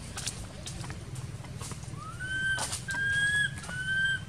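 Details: Crying baby monkey left uncared for by its mother at an archaeological park, giving three drawn-out whistled wails that climb and then hold steady, one after another, over low background rumble.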